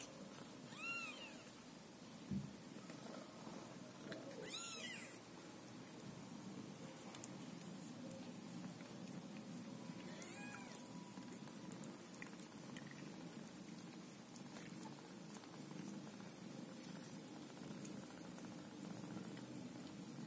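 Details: Scottish Fold cat family indoors, a mother caring for her kittens; three thin, high, arching meows near the start, around four seconds and at ten seconds, over a steady low rumbling purr-like hum and soft background noise.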